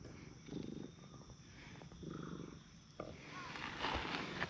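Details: Tabby and tortoiseshell stray cats on a park bench taking turns being stroked; a couple of brief, throbbing purr bursts, then rustling and faint voices take over.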